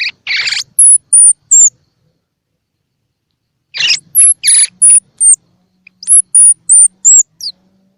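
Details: Baby squirrel calls meant to stimulate feeding in baby squirrels, eyes open or still shut: a few rough squeaks followed by a string of thin, very high, slightly falling whistles, then a second such sequence after a silent stretch.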